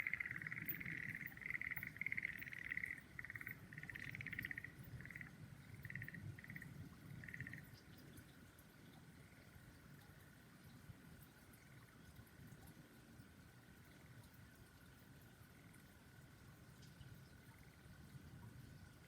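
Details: Frogs call beneath cherry trees in full bloom, giving bursts of rapid trilled croaks for about eight seconds before the chorus fades to a faint steady hum in the background.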